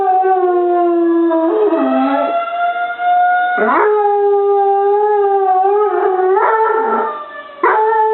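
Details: Dog howling in answer to a tornado siren; repeated wavering howls that swoop down and up in pitch are layered over the loud, constant siren tone throughout.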